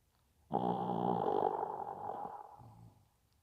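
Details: Pet Maltese named Bibi giving a single drawn-out snore, a coarse vibrating rasp that starts abruptly, holds for about a second, then fades gradually with a softer fluttering tail.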